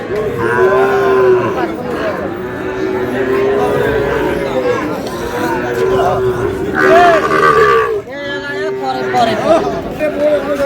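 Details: Repeated moos from Sahiwal bull calves being traded at Ambari market in Dinajpur on 11 May, several sustained calls following one another across the stretch. Men haggle loudly over prices throughout, partly overlapping the calls.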